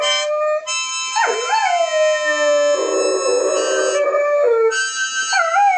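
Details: Doberman howling with a harmonica, the dog's voice swooping down then holding long wavering notes under sustained harmonica chords.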